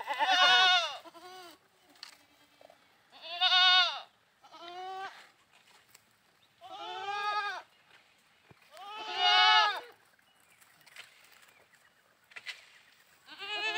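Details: Goats at play bleating loudly, each bleat a harsh wavering cry with a shorter, softer one following. Pairs repeat about every three seconds over a quiet background.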